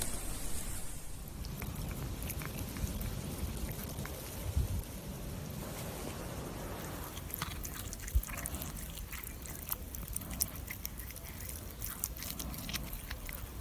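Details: Calico cats eating chicken from a person's hand: close, soft wet chewing and biting with irregular clicks and smacks over a low rumbling background, the sharpest bites standing out around the middle of the passage.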